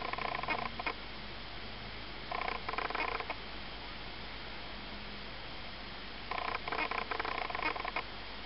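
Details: Young Ocicat kittens, eight weeks old, offspring of Malika and Frodo, giving bright harmonic mews in three clusters, at the opening, near 2.5 seconds and again from 6.5 seconds, with soft background hiss between.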